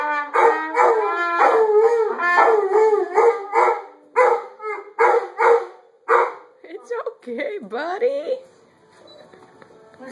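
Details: Labrador Retrievers singing along to morning instrument practice with a run of pulsing, wavering howls and yelps in quick succession, fading out as a person starts talking.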